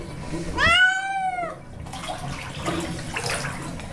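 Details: Baby the cat protesting a bath gives a single clear, long meow, rising then sagging in pitch, followed by water noise and faint talking.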